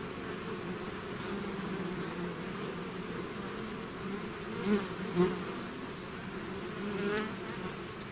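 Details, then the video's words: Bee swarm pouring out of its hive, a continuous layered hum with steady tones near 200 and 400, rising in two brief louder swells midway as individual bees pass close. "bees therapy swarm natural buzzing sound"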